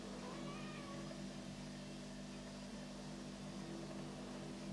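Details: Black house cat, walking around, filmed on a Canon EOS 650D, gives one short, soft meow near the start, a faint wavering tone under a second long, then falls quiet over a steady low electrical hum.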